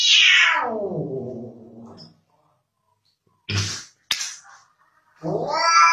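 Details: Kitten in a cute cat compilation giving a sharp meow that starts high and slides steeply down into a low growly tail, then silence, a couple of soft thumps and a click, and a rising cry at the end.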